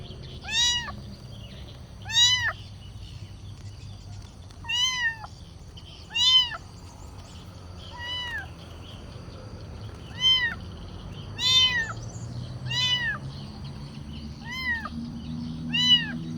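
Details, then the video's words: Kitten meowing to ask for food: high, arched meows with rich harmonics, about a dozen calls, each under half a second, repeated every one to two seconds over a low steady background hum. "Anak kucing meong-meong, suara kucing minta makan"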